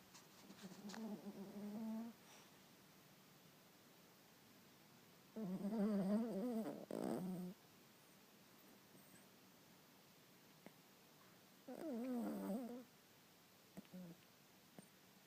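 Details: Pet dog sleeping indoors, snoring in three rough, wavering bursts of one to two seconds each, separated by quiet pauses.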